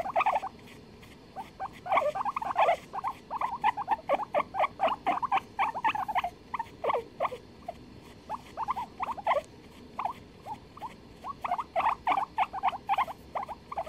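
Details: Guinea pigs calling in a duet, recorded 23 February 2021: rapid bursts of short squeaky notes, several per second, coming in uneven clusters with brief pauses across the whole stretch, over a faint steady background hum.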